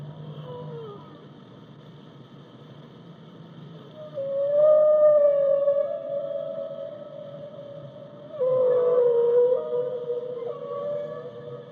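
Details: Whale giving a faint low hum, then two clear tonal moans: a wavering note near four seconds and a slightly lower, slowly falling moan after eight seconds, with overtones above.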